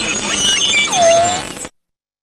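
A beluga whale gives dense, overlapping whistles, with one clear tone that drops low and slowly rises again.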